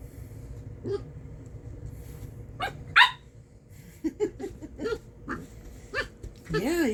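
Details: While a corgi puppy tussles with a hairbrush, a sharp yip rings out, followed by a run of small grumbling growls and squeaky barks, with a person's voice at the end.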